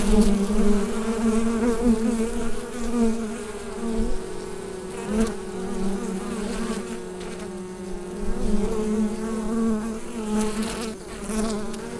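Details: Bees droning in a hive, picked up by a USB microphone, a steady low murmur with quivering pitch and stacked overtones, volume rising and falling in slow surges, punctuated by scattered sharp clicks.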